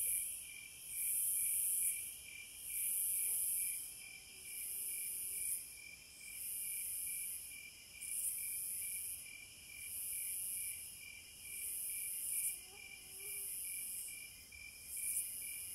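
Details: Cicadas outdoors, a sharp, very high hissing buzz pulsing in rhythmic swells about every second and a half over a steady pulsed high trill, with a few faint low tones in the background.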